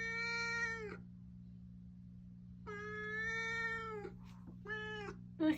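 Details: A garden stray cat in Japan makes threatening calls: a strained, harmonic wail lasting about a second, then a longer steady one, then a short clipped yowl, ending in a brief loud noise, with constant low hum behind.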